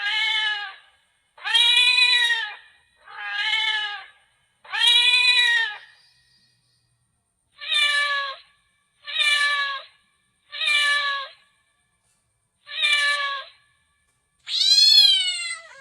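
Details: Domestic cat giving ten short, harmonic meows in quick succession, each under a second, separated by dead silence; the last is louder and rises then falls in pitch.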